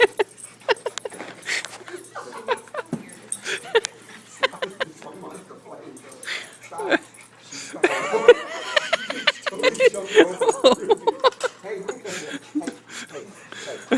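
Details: Dogs playing a chase game: short yips and whimpering whines in bursts, louder and busier around the middle, with scuffling clicks and a person speaking and exclaiming over them.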